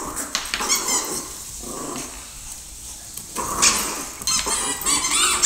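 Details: Rottweiler Shelby, 5½ months old, playing with a Yorkie: high squeaky whines and yelps in bursts, with brief growly sounds between them.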